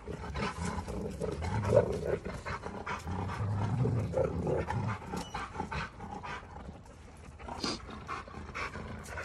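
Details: Two Giant Schnauzers, Garvey and Luther, in a heated fight with each other: rough, low rumbling growls rise and fall in uneven bursts, with snarling peaks near two and four seconds and scuffling noise throughout.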